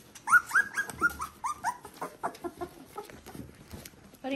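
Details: Border Collie puppies at three weeks, litter V2 of Ori and Cru, produce a rapid series of clear, high, slightly falling whines, about five in the first two seconds, fading into softer squeaks before a woman's voice at the end.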